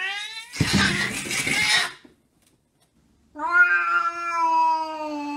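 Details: Pet cat caterwauling: a harsh, noisy yowl, a pause of silence, then a long drawn-out steady wailing meow.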